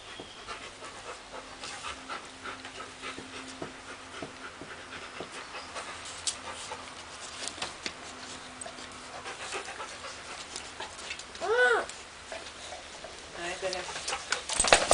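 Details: Labrador Retriever with a baby, soft breathy panting heard as faint rapid noisy puffs throughout, with a brief higher wavering vocal sound near the end, likely from the baby, and a loud burst at the close.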